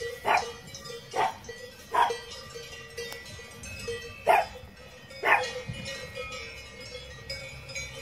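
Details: Miniature Pinscher puppy named Nice, filmed between five weeks and six and a half months old, barks in short sharp bursts about once a second, five barks in all, over a steady tonal hum.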